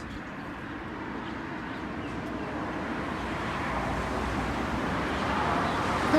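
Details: Outdoor road traffic rumbles throughout and slowly grows louder, with no animal call audible.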